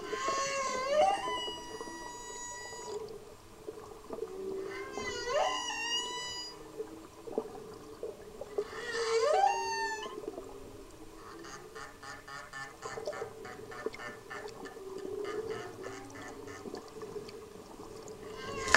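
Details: A subadult humpback whale cruises by during a blue-water snorkel off Maui, Hawaii, its loud song heard underwater as long rising moans and whoops with rich overtones, then a buzzing pulsed stretch, all over water noise.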